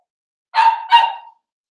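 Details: Blenheim Cavalier King Charles Spaniel puppies playing with their mother indoors in a puppy pen, giving two quick, clear barks with a strong tone, the second trailing off slightly.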